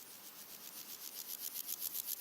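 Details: Three red-legged grasshoppers (Melanoplus femurrubrum) sing in daytime in early August: a dry, scratchy rasping stridulation song of quick pulses that grows steadily louder, with other insects, birds and wind in the background.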